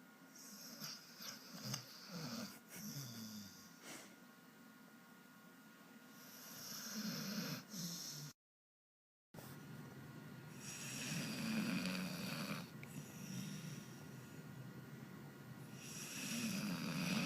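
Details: Tyson, a dog, snoring while sleeping and twitching. Soft, breathy snores rise and fall in slow cycles, with snorting rasps and a brief silent gap in the middle.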